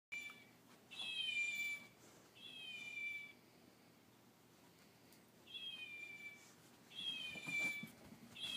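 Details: A fox plays with a chow puppy, giving high, cat-like meows, each about a second long, repeated with short pauses.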